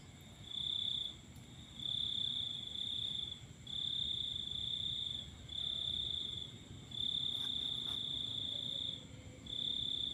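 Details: Night-time cricket song beneath a full moon, a continuous high-pitched trill broken into bursts of one to two seconds with brief gaps, a faint click near the middle and low background hum.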